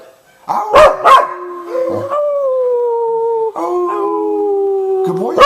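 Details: Cardigan Welsh Corgi named Divot singing with a man, who is the only one he sings for: short yips followed by two long, smooth, slightly falling howled notes, each held over a second, with a rising yelp to close.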